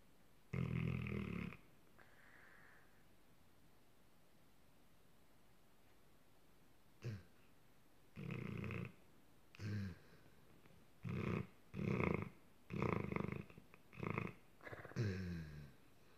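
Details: Sleeping dog dreaming after a long hard day, making funny noises in its sleep: low, breathy snorting bursts, one early, then a run of short puffs roughly once a second in the second half, quiet room between.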